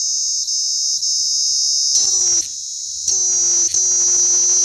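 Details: A Sri Lankan cicada gives a loud, steady, high-pitched buzzing drone with only slight pulses in intensity.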